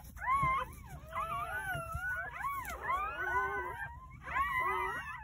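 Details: Crying of newborn Jindo puppies from a nine-pup litter delivered on New Year's Day at a rural house: layered, sliding whimpers and wails, bending up and down, with a brief pause near the fourth second before the chorus resumes.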